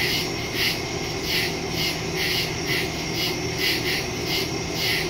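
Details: Night chorus of crickets in the woods, captured September 2, 2023 with a Samsung Galaxy S22 Ultra and Shure MV88+ stereo mic: loud scratchy bursts repeating every half second in a rolling rhythm, backed by an unbroken high-pitched drone.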